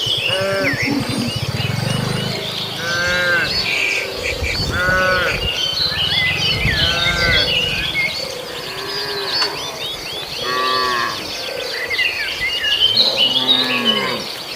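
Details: Tame cattle grazing in a field as the herd heads toward the barn; low, drawn-out lowing and several shorter moos recur across the recording, set against busy chirping birds and insect noise outdoors.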